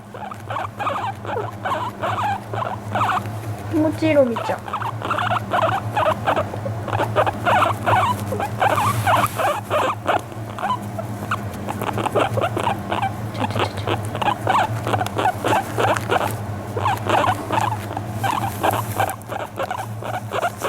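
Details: Guinea pig about one month in its new home, fawning and relaxed on a lap while being brushed: rapid chattering, burbling notes repeated about three times a second, one brief rising-falling squeak near the start, steady low hum beneath.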